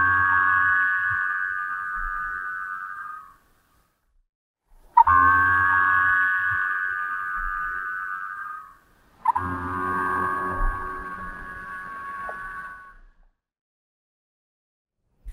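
Minke whale boing calls: three long, twangy, metallic tones, each starting with a sharp pulse and holding steady.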